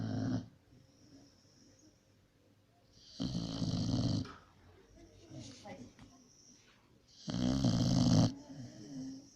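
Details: Pit, a pit bull, snores while sleeping indoors: three loud, rough, low breathy snores spaced about four seconds apart, with quiet room tone and faint murmuring between them.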